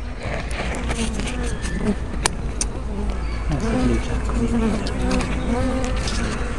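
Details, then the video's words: Bees at a hive entrance, recorded 24 May 2012 on a small spy camera with a fisheye lens: a steady mix of overlapping flight buzzes, low droning tones that rise and fall as bees pass close, over constant low rumble. "Bee Hives - Entrance Observation"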